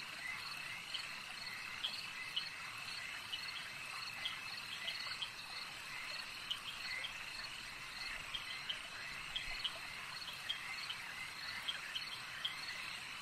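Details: Frogs calling at a lake: a dense, steady chorus of high trilling voices with short bright clicks popping out irregularly every second or so, over a soft constant hiss of background noise.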